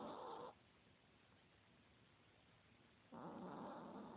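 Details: A 2016 recording of Sam, a fat, lazy Chihuahua, snoring: the tail of one raspy snore, about two and a half seconds of near silence, then the next breath starts as a rough, buzzy drone.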